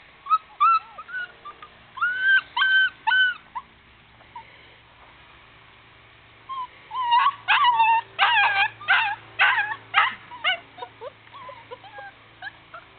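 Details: Puppy in a playpen whimpering: high, wavering whines and yips in two bursts, a handful near the start, then a denser run after a quiet pause of about three seconds, over a faint steady low hum.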